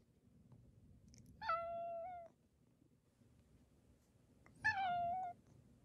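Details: Attention-seeking house cat, a clingy second son acting dog-like after the older cat was isolated with a cat cold; two long, steady, nasal meows about three seconds apart, each ending with a slight upturn, quiet room between.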